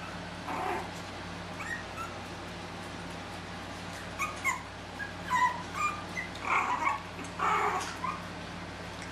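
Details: Litters of Chihuahua puppies, 10 and 13.5 weeks old, playing in a carport under a ceiling fan: scattered high squeaky whimpers and short yips, growing busier toward the end, over a steady low electrical hum.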